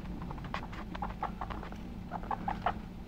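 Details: Guinea pigs active together: a brief burst of soft, clipped squeaky notes, some tonal and evenly pitched, clustered near the end over a low background hum.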